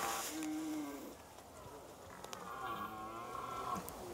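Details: A red deer stag in an autumn forest in the Hautes-Alpes, France, gives deep, drawn-out rutting bellows at daybreak, holding his place and calling females; the rut runs September to October and the calls echo through the valleys.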